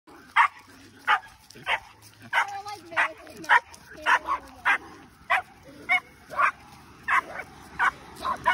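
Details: Cairn terriers Quincy and Easton, two dogs that bark and pull throughout walks, during a training consult: sharp barks repeated steadily about every 0.6 seconds over a low background hum.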